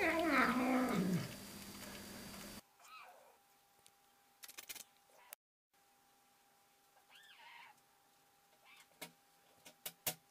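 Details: House cat giving a weird noise: a loud wavering yowl for about two seconds, followed by a much quieter stretch with faint short cries, soft clicks and thumps.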